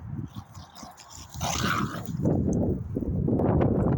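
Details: A dog barks in rapid, rough low bursts that become louder and nearly continuous through the second half, with a brief hissing noise in the middle.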